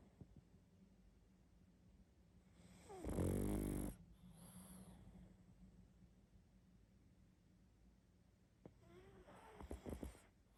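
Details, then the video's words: Loud snoring from a sleeping pug: one long, coarse, vibrating inhalation snore early on, followed by a softer exhale and later light snuffling breaths in a quiet room. "Мопс сильно храпит"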